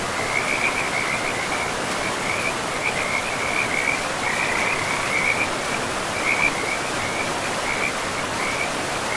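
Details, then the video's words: Frogs by a river deep in a pristine forest give repeated short trills at a steady mid-high pitch, sometimes briefly thinning, above loud continuous water noise. "River and Frogs sleep sounds"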